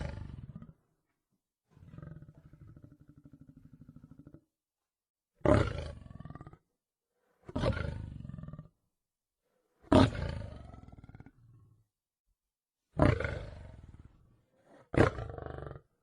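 A lion gives a series of deep, rough roars with short pauses between them.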